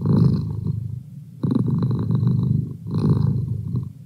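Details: Pet cat, male, purring up close with a thick, grainy low rumble, loud pulses alternating with softer dips as each breath cycles.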